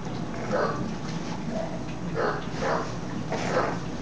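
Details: Bulldog named C-Jey wrestling with a curtain indoors: short, muffled growling bursts repeated every half second or so, broad and mid-pitched, over a steady low background hum.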